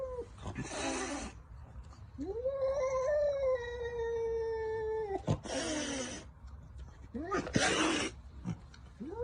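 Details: A cat gives a long, drawn-out meow lasting about three seconds, steady and slowly falling, rich in overtones, between loud bursts of noise and laughter.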